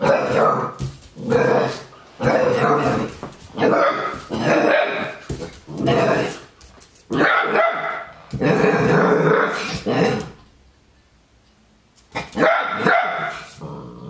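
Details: Andy, an 8-week-old Labrador Retriever puppy, barks and growls at his mirror reflection, scared at first; a run of loud, harsh, growly barks in bursts, a two-second pause, then one more bark.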